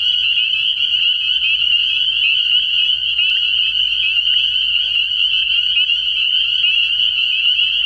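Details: Spring peepers calling at night early in the year at a frog pond, a dense chorus of many callers forming one steady, shrill high-pitched band of overlapping peeps for the whole stretch, with no other clear sounds.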